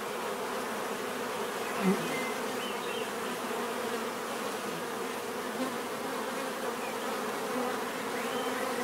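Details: Steady buzzing of numerous bees, a dense low droning hum, broken once by a short louder tick near the second mark and faint high chirps behind.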